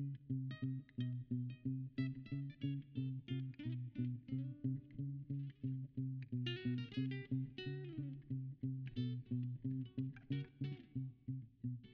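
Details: Plucked guitar music over a low, rhythmic bass line, with no animal voice heard.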